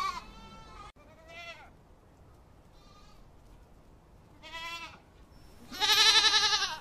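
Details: Awarid goats bleating: four wavering, harmonic-rich bleats spread over several seconds, short ones early and a long, loud, strained final bleat, against a quiet background.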